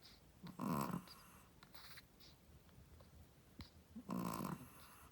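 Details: Sleeping Shih Tzu mother dog, a first-time mother, snoring: two loud, rough, raspy snores about three and a half seconds apart, each roughly half a second long, with quiet breathing between them.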